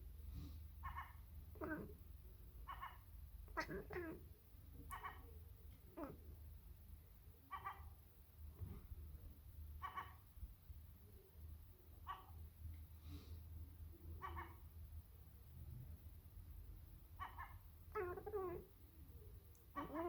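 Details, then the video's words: Sacred Birman cat talking to a seagull, giving short chirping calls in bursts every one to two seconds, about fifteen across twenty seconds, over a steady low rumble in the background. "Cat talking to birds"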